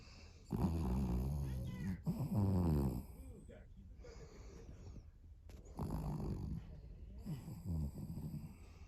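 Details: Vanilla, a sleeping Pomeranian-Chihuahua mix dog, snores in four low, rumbling bursts of about a second each, separated by short quiet pauses. A brief spoken word is also heard.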